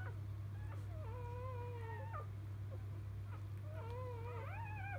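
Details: Just-born field Labrador Retriever pups from champion dam biscuit; drawn-out, slightly wavering whines, each held about a second, the last one climbing upward, with steady low hum underneath.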